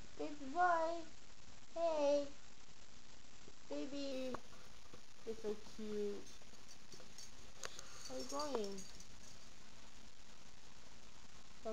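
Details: Pet puppy dog giving a series of high, wavering whimpers that dip and fall in pitch, several spaced cries over a steady indoor hum, with a brief sharp click partway through.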